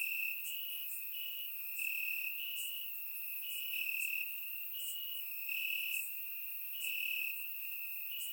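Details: Warm summer night in Bulgaria with crickets chirping in the grass; a high steady buzz-like trill carries on while sharper chirps recur at roughly one-second intervals. Surround microphone used.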